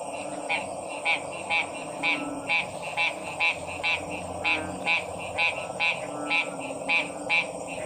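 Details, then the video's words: Frogs croaking, offered as calming sounds: bright raspy pulsed croaks repeated roughly twice per second over a steady hum and hiss, with softer lower notes beneath. "Stressed Relieving Sounds of 🐸 Frog's"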